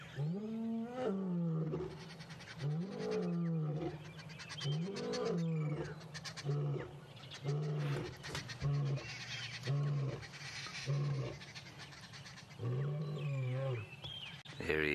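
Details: Adult male lion roaring in the early morning at Juma Dam, Sabi Sand, belly full and gore on shoulder and mane after a buffalo was heard in distress the night before: deep moaning roars repeated about every two seconds, with clicks and crackles behind.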